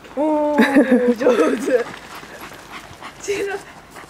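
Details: Corgi and toy poodle, Kotaro and Chirol, playing in snow; one dog gives a steady high whine that breaks into wavering, yelping cries for over a second, with a person speaking Japanese over it.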